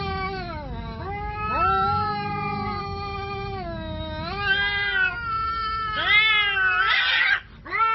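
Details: Cats squaring up to fight give sustained bending, moaning yowls that swoop up and down, then a harsh explosive hiss-spit burst before a brief pause and another cry.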